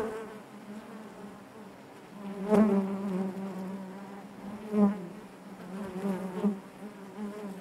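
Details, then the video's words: Inside a honey bee hive, a continuous low droning hum with rich overtones, broken by loud close passes near two and a half and five seconds, then softer wavering buzzes. "bees therapy hive natural buzzing sound"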